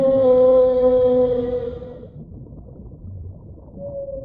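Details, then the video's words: Whale in the deep sea giving a steady, sustained tonal moan with strong overtones for two seconds, fading into low underwater noise before a softer held tone returns near the end. "Real Whale Sounds"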